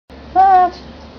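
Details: Black cat named FluFFs, described as a talking cat, giving a single short clear meow, steady and slightly falling at the end, over faint background hum.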